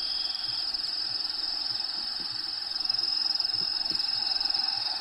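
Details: Inside a vivarium kept for a bearded dragon called Diego, a cricket gives a continuous high-pitched pulsing trill, roughly two pulses a second, as habitat sounds play behind it and soft low thumps appear.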